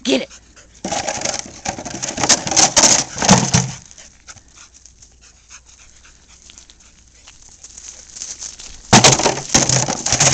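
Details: Dogs at play with Bart's favourite toy, a bucket: Bart the Border Collie, Maisy the Australian Shepherd and Pooter the Shih-tzu. Loud clattering, scraping bursts open and close the passage, with quieter fast breathy panting in between.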